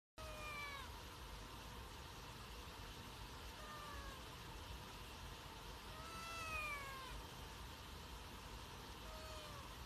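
A Sphynx cat meows repeatedly, each call a brief, tonal rise-and-fall spaced a couple of seconds apart. A constant low rumble, like a vehicle or room noise, runs underneath throughout.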